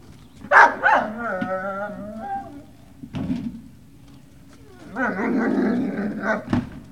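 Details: Great Dane puppies at Puppy Hill on 18 November 2018, giving high, wavering whines with rich overtones: a long sliding whimper early on, a short yelp near the middle, then a second sustained, quavering whine before a sharp final yip.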